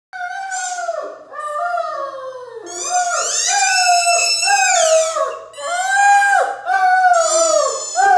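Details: Mikey, a pet Great Dane indoors, howls at his howler ball toy, with long wavering tonal howls sliding up and then falling. They come in overlapping drawn-out bursts, with a short gap near the second second, and continue almost without a break.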